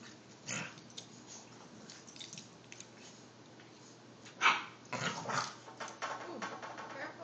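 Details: Lola and Rico, an Olde English Bulldogge and an English Bulldog puppy, fighting in play over a stuffed bear: scattered rough, noisy grumbles and scuffles, a sharp burst near the middle, then a denser run of gruff bursts to the end.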